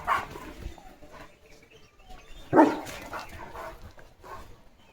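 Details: Leo, a German Shepherd on village guard duty in the morning, watching passing cattle, vehicles and dogs: one loud bark and a few fainter ones, mixed with a man's speech.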